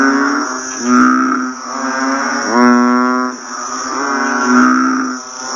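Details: Banded bullfrogs after rain: low, resonant, mooing calls repeat in quick overlapping succession while a thin, steady insect buzz runs high in the background.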